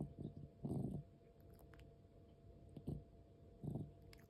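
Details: Labored breathing of a 13-year-old house cat with asthma, the sound also present while it sleeps: throaty, crackling low breaths in short bursts, a longer one early, then two closely spaced later, in a quiet indoor room.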